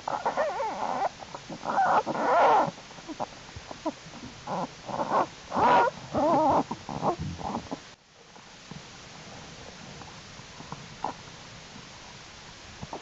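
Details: Jewel's American black bear cubs, growing stronger and crawling around the winter den in warm January 2012 weather: a run of loud, quavering squeals and whines for about eight seconds, then a quieter stretch with faint sniffs.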